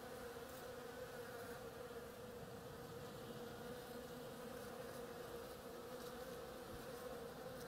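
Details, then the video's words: A swarm of bees feeding on oriental creeper blossoms produces an unbroken, level buzzing hum, dense and unchanging from start to finish, with no other clear sounds. "Bees hard at work on my oriental creeper"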